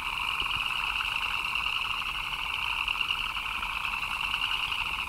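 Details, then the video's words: Frogs chirping during rain: a dense, unbroken chorus of shrill, pulsing chirps that blur into a steady high trill, holding even in level throughout with no pauses, over a faint background hiss. "Frogs chirping in the Rain"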